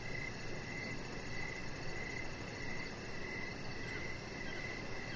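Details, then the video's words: Evening crickets heard from a deck where a Chihuahua puppy rests under decoration lights; regular mid-high chirp pulses every half second layered with a thin, fast, very high trill and constant background hiss. "Cricket Sounds"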